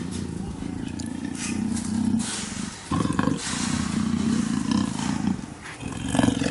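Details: A female black leopard in heat paces up and down her enclosure, roaring almost constantly to call a male: a deep, rasping series of rapid, throaty grunts that carry on almost without pause.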